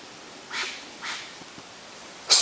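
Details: Wild Japanese serow beside a mountain stream in Japan, mid-September 2012, trading harsh snorts with a person as a hostile greeting or intimidation. Two soft, breathy hissing bursts about half a second apart, then a sudden sharp, loud snort.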